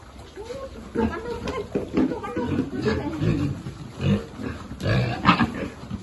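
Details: Piglet at feeding time in a pig farming group, with short low grunts clustered through the middle, a brighter squeal-like burst near the end and voices mixed in.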